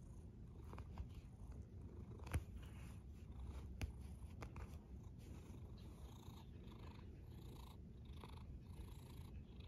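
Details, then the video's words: Sleeping cat snoring: a steady low rumble with a few faint breathy puffs and soft clicks, indoors and quiet. "A snoring cat"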